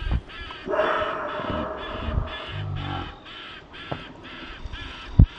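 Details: Several monkeys near a safari staff village in South Africa give rough, barking and chattering alarm calls in uneven bursts, strongest near the start, as a female leopard descends from a Marula tree, over a steady low background rumble.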